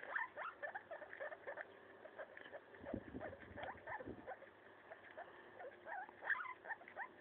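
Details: Guinea pig Maso eating a leaf, soft rising squeaks repeated in loose series, broken by a patch of low rustling near the middle.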